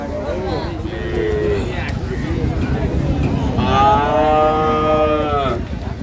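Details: At Ambari Haat in Dinajpur on 9/3/25, a dairy cow offered with calves gives one strong, nearly two-second bellowing moo, bright with overtones and bending downward at the end, after brief earlier lowing and talk of twice-daily milking.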